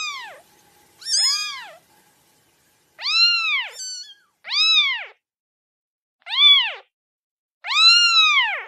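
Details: A domestic kitten (Felis catus) gives high, arching meows, repeated every couple of seconds, like crying.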